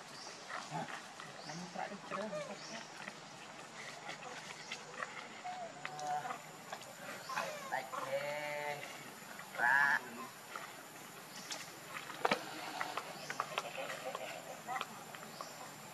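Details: Hungry baby monkey crying as it begs its mother for milk: wavering, harmonic wails rising and falling in short bursts mid-clip, with one sharp high squeal, over a steady insect buzz and faint human voices.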